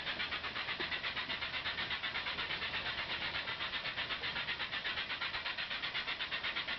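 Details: Many cicadas calling in a mangrove tunnel at Ulumay Wildlife Sanctuary, Merritt Island, on July 17, 2011, heard from a kayak. A loud, dense, hissing buzz throbs steadily about three times per second, like a steam engine, overwhelming the camera microphone.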